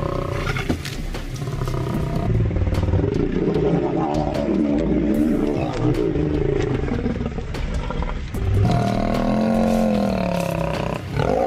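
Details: Two male lion brothers fighting; continuous deep rumbling growls and snarling roars with harmonic bands, rising and falling throughout, loud and sustained.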